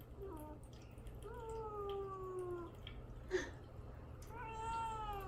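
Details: {'caption': 'Caged pet cat Mamedaifuku, kept without food or water before castration, calls to be let out with long, drawn, slightly falling meows indoors, with a brief knock partway through.'}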